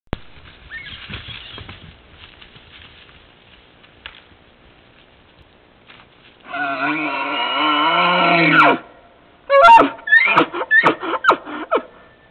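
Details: A bull elk during the rut, just after chasing a cow, gives a long, high, whistling, echoing bugle, then a quick run of deep grunting chuckles; captured on a trail camera.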